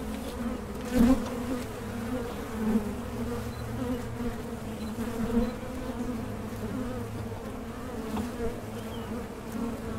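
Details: Steady hum of honey bees working a Mason jar honey super, a continuous low drone with a few louder swells as individual bees pass close, plus faint background noise.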